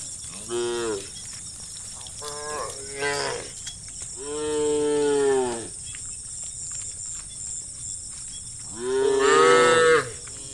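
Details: Hundreds of tame cows herded across green rice fields in warm sunlight give long, drawn-out moos, several voices overlapping, with a steady insect hum behind.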